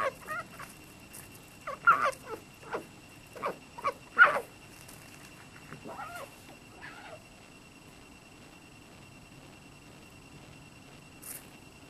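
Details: At night a red fox that visits every evening meets a raccoon dog and gives short, sharp, dog-like barks in an uneven series, driving it off.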